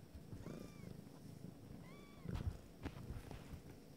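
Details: Abyssinian kittens nine days old from a first litter, eyes just opening: a low steady purr rumbles underneath while two short high mews arch up and down, with soft rustling and a few knocks.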